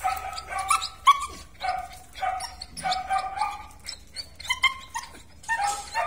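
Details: Belgian Malinois at a kennel, giving a run of short, high, tonal yips and whines, several per second in uneven bursts, with quiet gaps between them and a faint low hum underneath.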